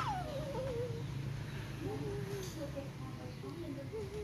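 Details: Siberian Husky giving a drawn-out whine that slides down from high to mid pitch, then a wavering, tuneful moan with rising and falling bends, over a low background hum.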